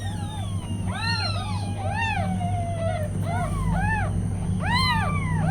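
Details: Newborn kittens with their mother cat, several thin high rising-and-falling mews in quick overlapping bursts over a steady low hum.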